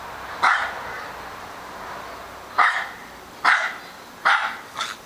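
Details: Australian Terrier named Charlie barking persistently; four loud, abrupt barks spaced unevenly across a few seconds, the last pair closer together, over a steady low background hiss.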